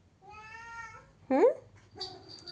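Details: Angry cat shut in behind a closed door indoors: a steady, level meow followed by a sharp rising squeak and a shorter, quieter mew, with a faint high hum in the room.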